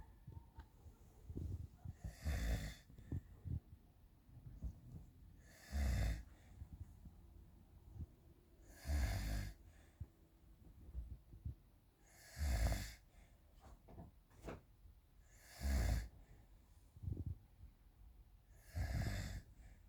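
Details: Pet cat named Alper asleep at night, around 2 a.m., at home with kittens about: steady, hoarse rasping snores, six of them, each roughly three seconds apart, with faint rustles between breaths in a quiet room.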